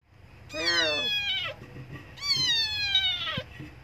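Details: Abandoned kitten crying loudly for milk: two long, high, harmonic meows, each about a second long, falling slightly in pitch, with a short gap between them; faint background hum.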